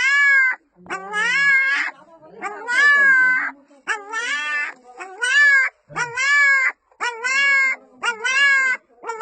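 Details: Small female puppy calling her mother with human-like cries: loud, wavering, harmonic yowls in short bursts, with brief pauses, arching up and down in pitch, about eight cries in nine seconds.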